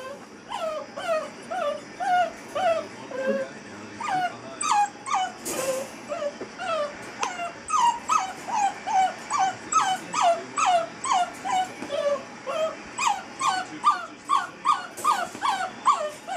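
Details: A Basset Hound puppy, eight-week-old Molly, in a crate for the first time, keeps up a long series of shrill, falling whimpers at a rapid, uneven pace, with one brief rustling knock partway through.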